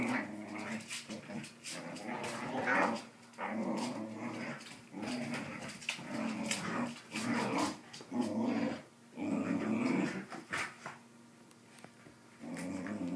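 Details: A corgi playing tug with a Doberman growls in rough, rumbling bursts, each lasting a second or two with short pauses between.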